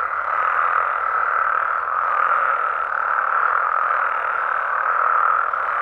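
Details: In Mexico after dark, a crowd of frogs and toads in natural habitat call together as a steady, dense, mid-pitched croaking chorus, slightly surging at times but never pausing.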